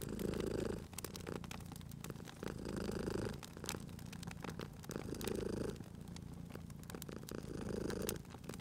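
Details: Cozy spring fireside with a sleeping cat: a deep, buzzing purr pulses in regular swells about every two and a half seconds, accompanied by steady crackling and popping of burning logs.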